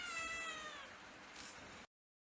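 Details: A kitten giving a single high, drawn-out meow that slides gently downward, clear and tonal, followed by quiet background hiss before cutting to silence.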